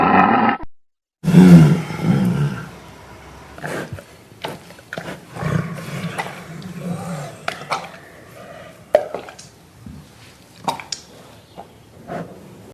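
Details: Tiger roaring in deep, low rumbles: a loud burst after a brief silence near the start, a longer growling roar in the middle, then quieter grunts and scattered sharp clicks toward the end.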